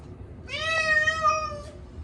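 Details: Short-legged Munchkin cat Chacha screams at his yearly bath, given on a hot day: one sustained, steady meow of about a second and a quarter, strongly harmonic and loud, with a quiet room behind.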